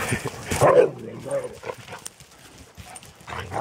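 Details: One-year-old Akita Inu named Shiro playing in a forest with a nine-month-old Australian Shepherd; a short rough bark or growl-like yelp up front, then quieter rustling and scuffling, with laughter at the close.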